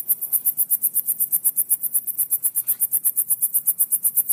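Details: Shrill cricket pulses tick along evenly at roughly seven per second, high and thin, over a soft low murmur in the background.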